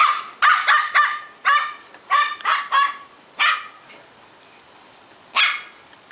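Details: Female Pomeranian chasing a squirrel, filmed on 10/2/2016 at 1:26 PM: a rapid run of about eight sharp, high yappy barks in quick bursts, a pause, then one more bark.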